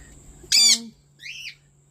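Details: Two pet kakariki brothers outside in the morning, soaking wet after a bath: one loud harsh squawk followed by a softer arched chirp, with a faint steady hum behind.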